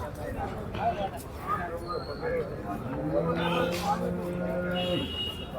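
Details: Water buffalo at a cattle market in Kerala, India, lows with a steady two-second moo near the end, over a background of men talking about its price and weight.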